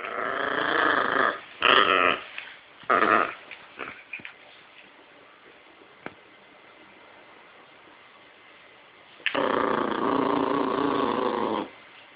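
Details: Yorkshire Terrier giving rough, throaty growls in short bursts, then a quieter stretch, then one long sustained growl lasting about two seconds.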